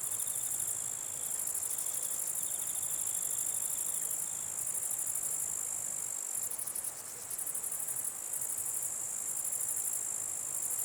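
A dense, high-pitched insect buzz rings on without pause, like many grasshoppers singing together at night.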